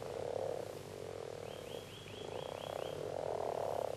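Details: A chorus of male common frogs (grass frogs) at the mating peak, gathered in shallow, vegetated water near the shore, gives soft, low, rolling purring growls to attract mates, using internal vocal sacs; the calls overlap into a steady murmur.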